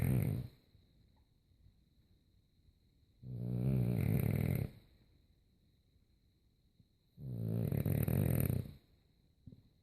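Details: A French Bulldog snores loudly while asleep, with long rumbling breaths about every four seconds.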